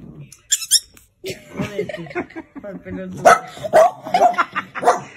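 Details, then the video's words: A Chihuahua described as angry lets out sharp, squeaky barks and yaps, uneven at first and then coming in a quicker run of high yelps, while a person talks nearby indoors. "Angry And Crazy Chihuahua"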